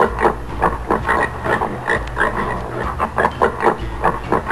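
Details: Swedish wild boar giving short, rough grunts in quick succession, several per second, with irregular gaps; a steady low rumble runs underneath throughout.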